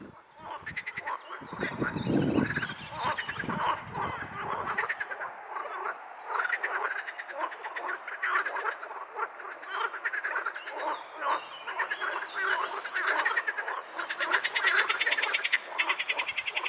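A chorus of edible frogs croaking in fast, rattling, quacking bursts that overlap continuously.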